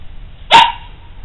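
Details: Dog recorded February 1, 2010, giving one sudden, loud, sharp bark that cuts off quickly, with a faint tonal tail and a low steady hum in the background.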